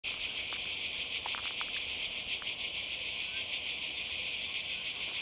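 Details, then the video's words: Cicadas by the sea in Croatia in summer 2020: a dense, steady high-pitched buzzing that throbs about three times a second, with a few faint clicks and taps near the start. "Kroatien Zikaden und Meer"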